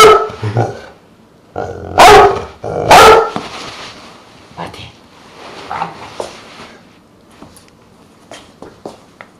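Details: Truus, a pet Dogue de Bordeaux mix with one quarter Rottweiler blood, barks loudly a few times early on, two big deep barks close together, followed by quieter indoor sounds and faint voices.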